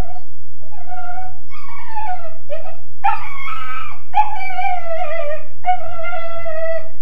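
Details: Weimaraner pup of about 13.5 weeks, confined in his kennel, wails in a series of long falling howls, some broken and cracking, with short pauses between them; steady electrical hum behind.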